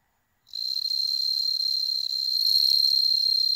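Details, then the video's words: Captive bell crickets bred at home in Hokkaido, a region without wild ones, singing as cats look on: a sudden bright ringing trill begins after a short silence, rapidly pulsed and continuous, growing slightly louder toward the end. "スズムシ観賞会 Bell cricket"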